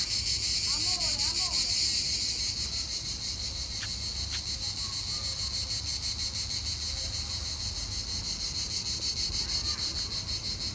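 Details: Chorus of cicadas at Vasto Marina in Italy, a steady shrill buzz pulsing rapidly and evenly for the whole stretch, with a few soft bird-like chirps and faint clicks underneath.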